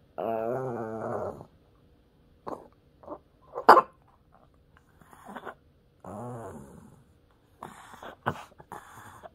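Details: Peter, a pet puppy, prompted to say "mom" indoors, gives two drawn-out wavering growl-moans, separated by soft taps, rustles and a sharp click in the quiet room.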